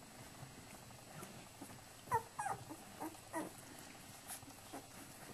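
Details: Flat-coated Retriever litter while the mother, Indy, cleans her puppies: a few short, high squeaks and whimpers in a brief cluster near the middle, then scattered softer squeaks over a low, rustling indoor background.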